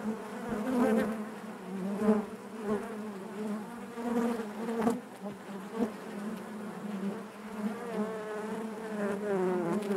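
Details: Inside a honey bee hive, the colony's natural buzzing forms a continuous low drone, rising and falling in loudness, with wavering overtones and occasional soft taps.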